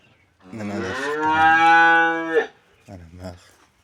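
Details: Cattle mooing while a vet removes metal objects from its stomach: one long, steady, richly harmonic moo lasting about two seconds, ending abruptly, followed by brief low murmuring voices.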